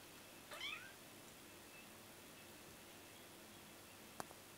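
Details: Kittens indoors: one brief, high-pitched mew that bends down in pitch early on, followed by steady quiet room hiss and a single sharp click near the end.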